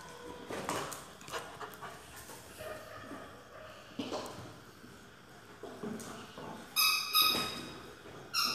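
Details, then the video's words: Excited Labrador Retriever named Blue, breathing in soft, rapid, breathy bursts mixed with small whimpers, then a few sharper high squeaky whines near the end. "Excited Labrador "BLUE""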